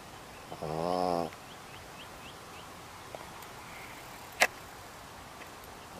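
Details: Loud snoring from Buzz the dog: a single rasping, harmonic snore of about three-quarters of a second, followed by several seconds of quiet room noise with a few faint ticks and one sharp click.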